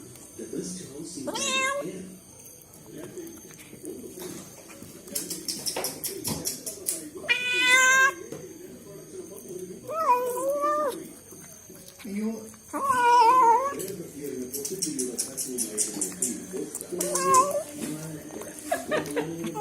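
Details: Cat calling while eating indoors; several drawn-out wavering meows and moaning calls, some rising and falling in pitch, spaced a few seconds apart, with chewing noises and a woman speaking Malayalam in between.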